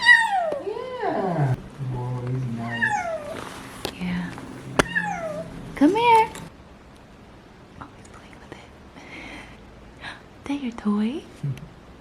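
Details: Fox, a male Bengal cat on his first day in a new home, gives a string of high, bending meows that swoop down in pitch, several in quick succession, while people speak softly and praise him indoors.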